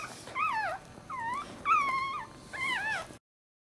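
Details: Newborn Maltese pup from Jojo's March 2009 litter, delivered breech, cries in four clear wavering squeals, each swooping down and back up, roughly one every 0.7 seconds, then abrupt silence.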